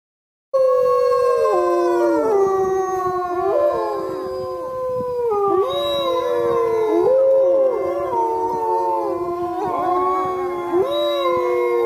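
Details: Wolves at Lakota Wolf Preserve howling together in an overlapping chorus, several long tonal howls layered at different pitches, sliding down and rising again, sustained throughout without pause.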